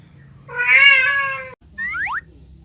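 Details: One long, insistent cat meow holding a steady pitch, cut off abruptly and followed by a short, springy sliding sound effect.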